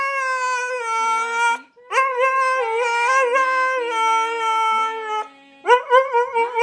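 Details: A one-year-old Siberian husky "sings Happy Birthday" in drawn-out, melodic howls, each note held then bending up or down before a brief pause, with a faint lower tone beneath.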